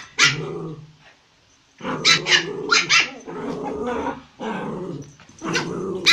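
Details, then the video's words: Toy Pomeranian pet, one of a pair (male Pomo, female Pomy) living in Kathmandu, Nepal, barking angrily: sharp high yapping barks in bursts with low growly undertones, short pauses between volleys, faint background music. "Pomeranian angry barking"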